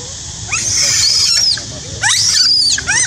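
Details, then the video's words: Monkey screaming loudly, a strange, frightening sound: two long, shrill, high screams about a second each, bending up and down, with short rising squeaks between them. "terrify screaming loudly !! Monkey shouting loudly make me so frighten, Very strange sound never"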